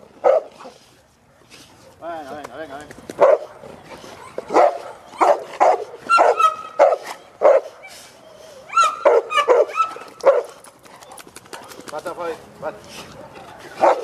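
A Cane Corso barks in deep, punchy bursts, with a person's voice in the background.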